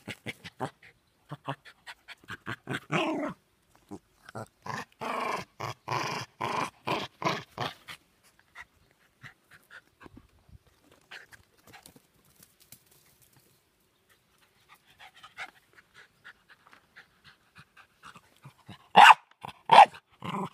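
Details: Jack Russell Terrier barking as usual, indoors: rapid rhythmic panting and throaty growl-grunts in bursts, a quieter stretch, then a few loud sharp barks near the end.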